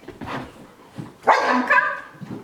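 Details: Sky, a pet dog, barks out of FOMO (fear of missing out) while another dog, Gem, performs tricks; a single loud, harmonic, slightly whining bark rises mid-clip, with softer sounds and a trainer's voice calling around it.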